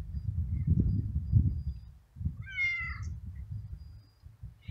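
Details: Stray kitten outdoors on a cold, windy day as winter approaches, two little brothers, one black and one gray, waiting to eat; a single harmonic meow falls slightly in pitch over half a second, above steady low wind rumble.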